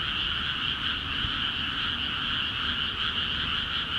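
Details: A dense chorus from frogs in freshly flooded rice fields of Akiha Ward, calling actively; overlapping rapid trills merge into a continuous, even drone, with a soft low-pitched background hum and one brief low thump.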